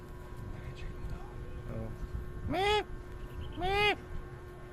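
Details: Goats kept as companions at work, with a mother goat nearby: two short, arched, nasal bleats about a second apart, each rising then falling in pitch, over a steady hum and faint background chatter.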